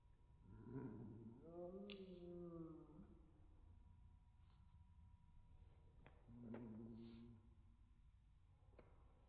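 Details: A pet cat meowing, slowed down to slow motion: two drawn-out, deep, wavering meows with rich harmonics, the first long and sliding, the second shorter a few seconds later, in a quiet indoor room.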